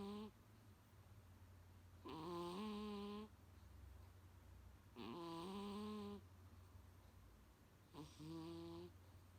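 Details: Pet Munchkin, Coo-chan, asleep indoors, snoring so loudly that it sometimes wakes its owner; four rasping, harmonic snores about a second long, evenly spaced every three seconds over a low room hum.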